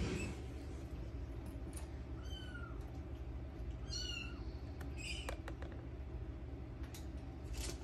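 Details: Minuet kitten giving two thin, high-pitched meows about two seconds apart, each a short rising-then-falling cry, over a constant low hum with a few faint clicks.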